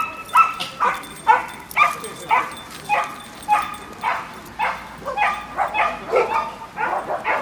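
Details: Wire Fox Terrier barking at a dog run, recorded on an iPod nano: a steady run of about fourteen sharp barks, roughly two per second, with a faint whine between some of them.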